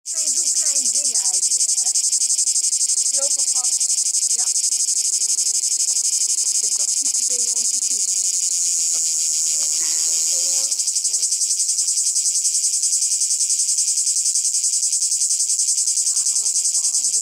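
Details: Cicada, likely male, singing by day on a branch at Monte Brione, Lake Garda, Italy, in 2019, gives a loud, steady, high-pitched buzzing drone without a break.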